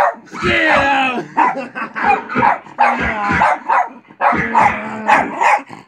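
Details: A domestic dog at home barks back at barking dogs heard on television: loud harmonic barks and yelps in two clusters, with television speech running underneath.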